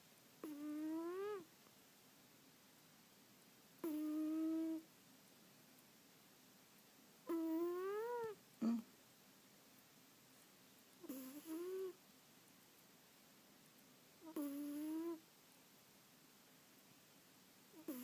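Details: A sleeping cat snoring: whistled, nasal, harmonic tones, each slightly rising then falling and lasting about a second. Five bursts recur roughly every three to four seconds in a quiet indoor room.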